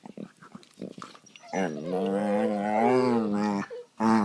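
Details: Indoors on a couch, two pet dogs gnaw at each other while play fighting; a few short grunts lead into one long, wavering, tonal growl lasting about two seconds, then a brief rise at the end.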